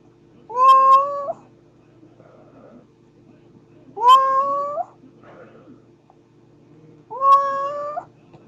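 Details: Cat giving three drawn-out meows roughly three seconds apart, each rising sharply at the start then holding a steady tone with a slight upturn at the end; faint constant hum in the background.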